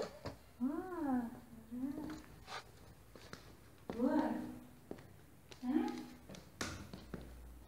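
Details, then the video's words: Cinnamon, a hungry pet cat, meows indoors while leading the way to her favorite food: three drawn-out, arching meows about two seconds apart, each rising then falling, with soft clicks and room noise between. "My cat telling me, she is hungry! Leading me to her favorite food!"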